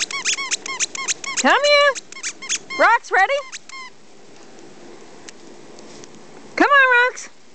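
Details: Puppies Maverick and Bigshot playing in the snow with their mother on 17 January 2008: a fast run of sharp high yips, then drawn-out rising, whining yelps in three bursts separated by quiet outdoor background.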